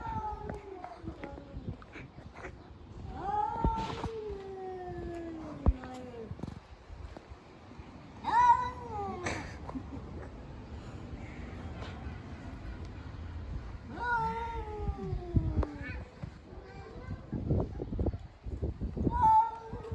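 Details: Cats fighting, giving drawn-out wailing caterwauls that slide downward, in repeated bouts with pauses between, over a low rumbling background.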